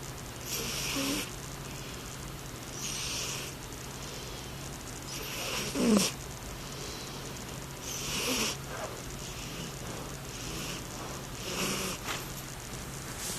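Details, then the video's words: Black rescue cat asleep and snoring: soft, breathy hissing puffs about every three seconds, a couple louder and more nasal, over a steady low hum. "Rescue Panther Snoring"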